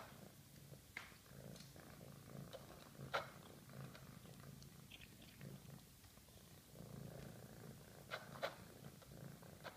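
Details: Eating after being very hungry, a female cat keeps up a gentle low purr that swells and fades in waves, mixed with scattered crisp chewing clicks.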